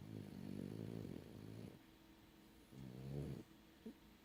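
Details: A French bulldog, heavy sleeper, snores in two rough, low, rattling breaths about two seconds apart, with a brief snort at the end.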